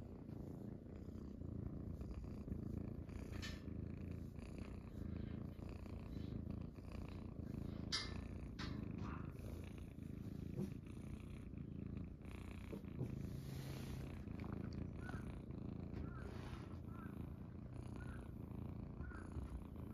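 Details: Munchkin kittens settle on their owner's belly in the morning just after waking, giving a steady low rumbling purr without pause, with faint rustling and small clicks above it indoors.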